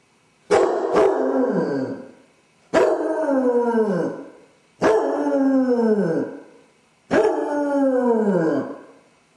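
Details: Left home alone, Dodger the basset hound voices separation anxiety in four drawn-out howls roughly every two seconds, each opening abruptly then gliding downward and fading; the first begins with a double sharp onset.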